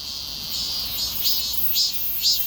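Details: Cicada sound in summer: a constant high-pitched insect drone with three short swelling pulses about half a second apart near the end.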